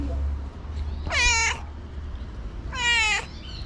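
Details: Tabby street cat, a homeless stray fed outdoors, meowing after jumping onto its feeder's back to thank them: two loud, harmonic, slightly rising meows about a second and a half apart over low traffic rumble.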